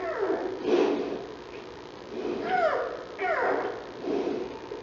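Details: Newborn giant panda cub of Mei Xiang, born Aug. 21 at 6:35 p.m., on the National Zoo panda cam, having the hiccups: four short squeaky bursts with downward-sliding tones, roughly one each second, over a soft background hiss.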